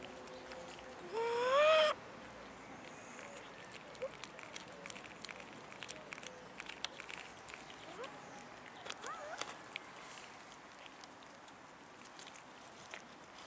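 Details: In a city park, an abandoned cat begging for food gives one loud, harmonic-rich meow that climbs in pitch. Quieter clicks and rustling follow, with a faint short call later on.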